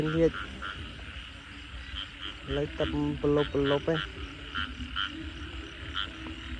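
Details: Frogs at night after heavy rain, heard while people hunt them: a steady background chorus of short pulsing notes, with louder, deep, rapidly pulsed croaks near the start and in a burst midway. A man's voice is also heard.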